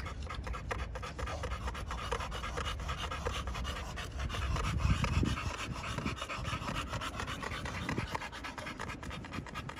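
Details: Panting American Bully pocket dogs, kennel in Romania: quick breathy strokes about four per second, louder around the middle, with faint handling noises.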